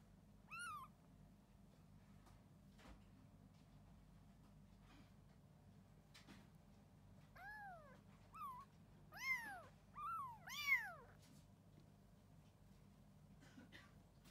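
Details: Four rescued kittens at a Japanese cat shelter; high, arched meows, one early then a cluster of four or five in quick succession near the end, over a quiet indoor hum.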